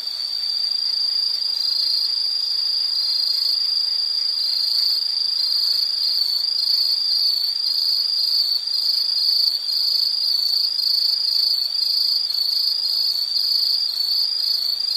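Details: Continuous high insect chorus, pulsing trills layered into a bright unbroken band, with several thinner high tones above and no other clear sounds.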